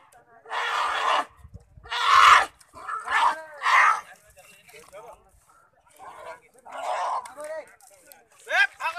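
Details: State-protected sloth bear caught in thorns in a village of Mahasamund, Chhattisgarh, crying piteously: loud, harmonic wails about a second long, repeated after short pauses, with fainter, broken cries between them.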